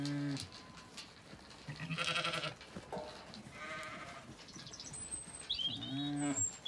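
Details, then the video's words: Zwartbles ewes at feeding time in a sunny Kilkenny orchard, Ireland, calling as they wait for the gate; a chorus of low and higher bleats repeated through the clip, with distant birdsong high above. "Dinner bell rings, ewes call & stampeeeeeede occurs as gate opens"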